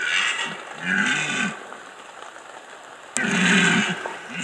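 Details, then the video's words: Red deer stag roaring in the rut, Bieszczady, Poland, 2015; two loud, harsh, moaning roars separated by a pause, the second starting abruptly. "Rykowisko 2015 Bieszczady - Red Deer rut"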